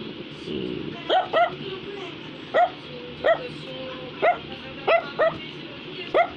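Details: Brussels Griffon, a small toy breed, barking repeatedly: about nine brief, bright yaps in six seconds, some in close pairs, against soft background music.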